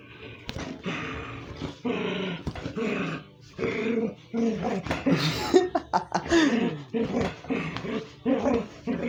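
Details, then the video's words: Pet dog indoors making unusual noises its owner has never heard before: a steady run of throaty, grumbling growl-moans mixed with whiny vocal bursts, rising and falling over about nine seconds. "Hey guys, you won't believe my favorite dog Lucy here is making weird noises."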